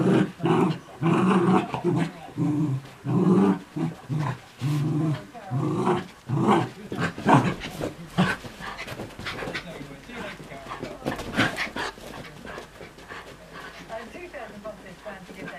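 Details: A pair of Miniature Schnauzers, including a puppy brought home a week earlier, play chase and tug early in the morning. Choppy low growls repeat for about seven seconds, then give way to scuffling and background noise.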